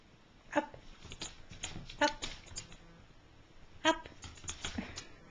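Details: Chihuahua Matilda, an excitable pet performing tricks on command in a small room, lets out three sharp, high yipping barks spaced about one to two seconds apart, with spoken commands and light shuffling between them.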